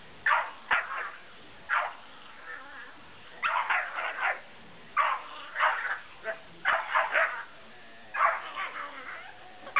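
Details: Malamute Denali, big and white, plays with Bentley, a small brown Puggle; rapid clustered barks, yips and growls overlap in lively bursts about once or twice a second, loud and uneven.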